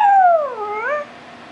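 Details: A pet Chihuahua 'singing': one drawn-out, harmonic howl that slides down in pitch, dips low, then rises slightly before fading, lasting about a second, in an otherwise quiet room.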